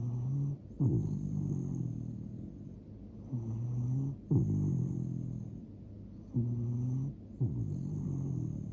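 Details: A sleeping dog snoring: low, rumbling inhalations repeated roughly every three seconds, with a faint steady high-pitched hum in the background.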